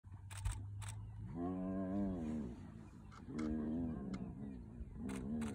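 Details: Spotted hyena clan mobbing a young male lion early morning in the northern Sabi Sands, South Africa; long drawn, rising-then-falling harmonic whoops, two calls in sequence, with a few clicks and soft rustles in the background.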